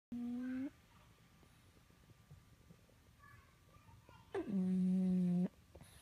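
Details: Sleeping male pug with a snoring problem, loud enough to wake the house: two drawn-out, tonal, humming snores, a short one and then a longer one about a second long, separated by a quiet pause with faint clicks.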